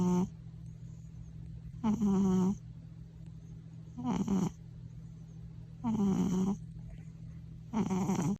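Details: Domestic cat snoring at home, louder than any person in the house; regular rough snores roughly every two seconds, each a buzzy low drone with airy hiss on top, quiet gaps between.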